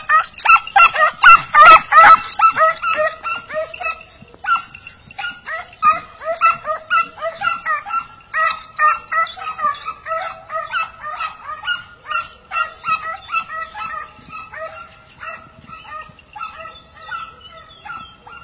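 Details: Several hounds in full cry on a hare hunt in Turkey: a loud clattering burst opens, then rapid yelping barks from multiple dogs follow in an unbroken, overlapping stream, gradually fading as the pack moves away.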